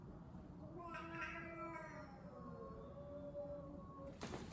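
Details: During a cat fight, a rich harmonic yowl rises then bends downward into a long, lower moaning wail, with a sharp noise burst at the end.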